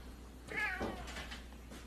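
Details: Pet cat in a funny home compilation; one short meow rising then falling, followed by softer murmuring sounds, faint room noise.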